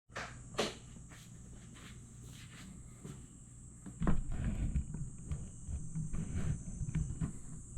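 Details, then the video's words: Grass insects at night in Aewol, Jeju, on 22 July 2022: a steady, unbroken high-pitched trilling chorus runs throughout, with low rumbling background noise and scattered knocks and thumps. "풀벌레 소리"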